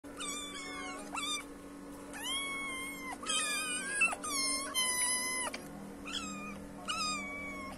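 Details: Three rescued kittens meowing a lot while fed wet food close up after a morning meal, asking for more food; repeated high harmonic meows, some rising then falling, overlapping in quick bursts, with a steady low hum behind.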